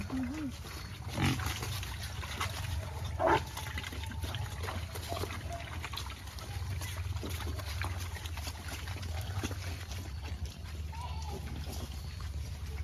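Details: Native black pigs raised free-range on a farm in Albay: two short, harsh grunting bursts early on, then quieter snuffling over a steady low hum with faint trickling sounds.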